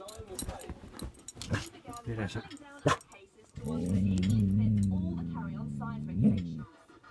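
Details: Pet dog Laksa, inside a caravan, growling through the window at a deer seen for the first time: a low, steady rumbling growl of about three seconds follows a stretch of human talk.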